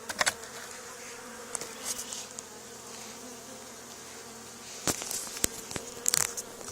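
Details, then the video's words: Honey bee swarm settled on the wall of an old barn, two days after another hive was cut out there, during swarm removal; a steady low droning hum runs throughout, broken by sharp knocks and brief hissy bursts near the start and end. "Honey Bee Swarm removal from old barn"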